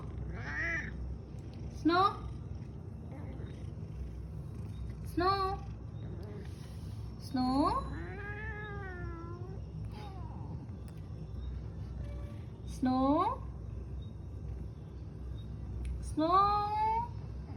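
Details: A talkative male house cat making funny noises as if telling stories, answering his owner with short chirping meows and rising-falling trills, about six calls spaced several seconds apart, with a steady low hum behind.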